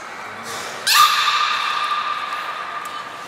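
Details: Beluga training with Nana and Niko at Port of Nagoya Public Aquarium, 7 October 2018. One abrupt, bright squeal settles into a long, steady whistled tone that lingers and slowly fades in a reverberant indoor space.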